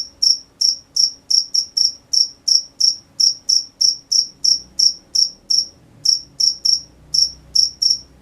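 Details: Night crickets give a run of clipped, high-pitched chirps at roughly three per second, briefly pausing near the six-second mark before resuming the even pulsing.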